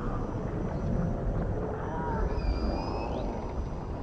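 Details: In the ocean, a dolphin whistle glides high and level, then bends upward, with a softer lower echo of the same line, over dense deep underwater rumble.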